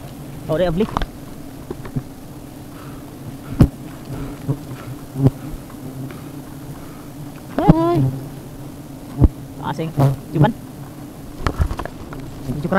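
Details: A honey bee colony nesting at the end of an umbrella gives a constant low drone throughout, overlaid by intermittent speech and short sharp noises.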